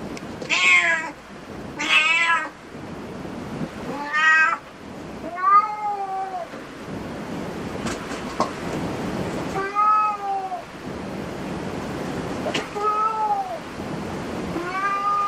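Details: Cat cafe cats call in a series of meows, the first few high and strained, later ones lower and arched, with occasional clicks and knocks in the room.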